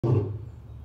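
A lion gives a deep, throaty roar that bursts out and then fades into a low rumble.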